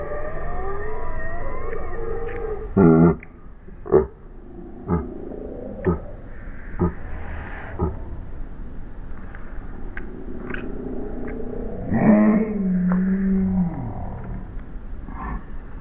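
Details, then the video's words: Havanese named Pedro playing with another dog, Albert, on a lawn, slowed to slow motion: deep drawn-out harmonic moans and groans, a few sharp knocks between them, and a long low wavering call near the end. "When does a Havanese sound like a DINOSAUR? When Pedro is in SLO MO!!!"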